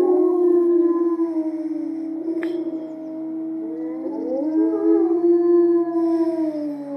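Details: Timber wolves of the Erlebnis-Zoo, led by the lead wolf, in a siren-like group howl: long, steady, drawn-out tones held by several animals, with some voices sliding upward midway and a brief sharp click.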